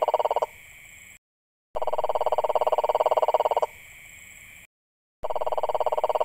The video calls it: Unusual sounds frogs make HD 🐸